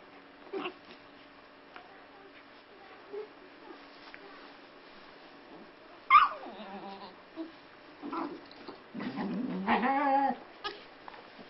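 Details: Welsh Springer Spaniel puppy playing with a Flat-coated Retriever: mostly quiet, then a sharp yelp, short huffs and a rising, whining growl near the end as the two dogs tussle.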